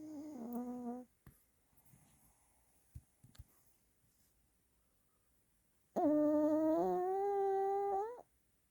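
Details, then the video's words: Domestic dog snoring at morning time, waking the owner: a short tonal snore, a few soft knocks and rustles, then a longer, slightly wavering whistled snore lasting about two seconds. "강아지코골이#개코골이때매 아침잠깬 엄마ㅠ"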